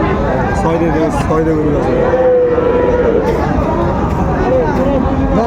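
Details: Sahiwal bull at a cattle market, bought by a farmer from Magura, 22 August 2024: a drawn-out, steady low moo lasting about a second, heard beneath loud bargaining voices and crowd chatter.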